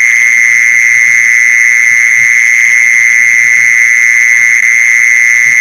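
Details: Mole cricket call, played to lure mole crickets: a loud, unbroken, buzzy trill held at one steady mid-high pitch for the whole stretch, with faint overtones above and a soft low hum underneath.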